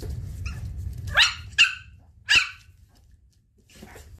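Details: Shiba Inu puppy weighing 2.1 kg, giving three sharp, high-pitched yapping barks in quick succession, then a faint short yelp, with low rumbling handling noise at the start.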